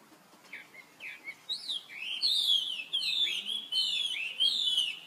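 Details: Young baby monkey, brother of the monkey Rainbow, calling for help while she runs off very fast; a run of high, squealing, whistled cries that slide up and down, growing louder and closer together, each with bright overtones.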